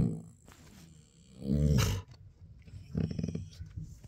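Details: A female Siberian Husky stretches and makes a sound while reacting to a cat on the other side of a door indoors. A drawn-out, low, groaning vocalization swells midway, then a shorter, rougher, harmonic whine follows with some rustling.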